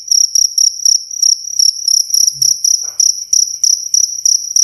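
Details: A cricket, recorded clean as a lesson sound for songbirds, chirps in rapid pulsed bursts a little over three per second, high-pitched and ringing, with a faint brief lower sound in the middle.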